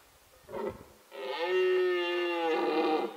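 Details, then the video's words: Male red deer bellowing during the rutting season, recorded on a Nikon D7100 with a 300mm lens: a short rough grunt, then one long, loud, sustained roar with rich stacked harmonics, held steady for about two seconds before fading. "Cervo al bramito"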